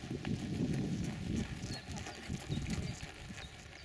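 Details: Mangalarga Marchador, a five-year-old gelding under saddle for about a year, performing Marcha Batida, the breed's diagonal four-beat gait, at a gaited-horse meeting in Waldhof Ollsen on 6 July 2014. Dull, low thudding hoofbeats fall in a quick, uneven rhythm, with faint bird chirps above.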